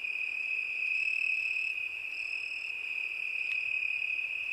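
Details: Crickets of a summer night produce a continuous, bright, high-pitched trill that stays level throughout, with no other clear sounds.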